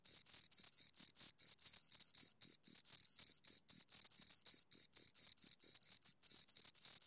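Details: High, rasping chirps from two crickets, quick bursts at about four per second with an irregular, overlapping rhythm as the calls interleave; clean background with no other noise.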